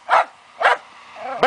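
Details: Fox terrier hunting wild boar gives two sharp barks, then a rising whining tone, then breaks into another bark.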